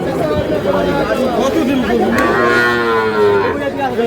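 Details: Sahiwal bull calf bought by a Comilla farmer on 3 June, giving two drawn-out, sweeping moos in the middle of the clip over steady human chatter and nearby voices.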